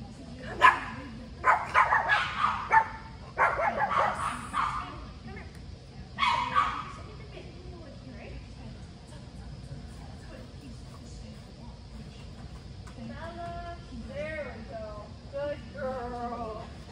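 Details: A Chihuahua named Bella barks during agility training on her first time in this facility's ring, unused to onlookers; a rapid run of sharp yaps over the first seven seconds, then a human voice talking.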